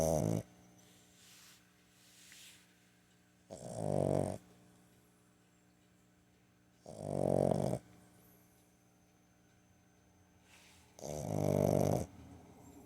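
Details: Sleeping 15-week-old Boston Terrier puppy taking an afternoon nap indoors, September 21, 2022; hoarse, rattling snores about a second long recur every three to four seconds, separated by soft, near-silent pauses.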